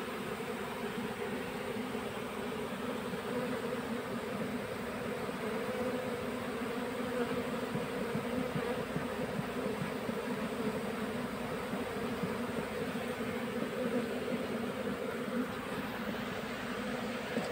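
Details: Honey bee colony being captured into a hive box during beekeeping work: a steady, dense droning hum, continuous and even throughout, with a low tone and a faint higher overtone under a soft hiss, and no clear breaks.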